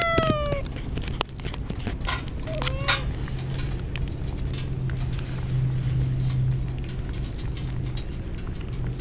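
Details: Rain-drenched stray kittens crying as a typhoon nears: two falling, plaintive meows in the first three seconds, then only steady rain hiss, clicks and a low hum.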